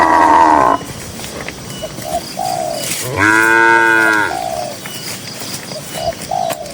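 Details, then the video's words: Cows grazing in a green pasture, dozens together; a short bellow opens, then a fuller moo of about a second rises and falls, while soft cooing birds call in the background. "Cows & Funny Moo Sounds"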